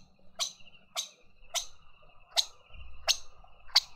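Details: Lesser bushbaby taking banana at a suburban garden feeder in Pretoria, South Africa: six sharp, crisp clicks over four seconds at uneven gaps, with a thin steady tone and a soft low rumble near the end.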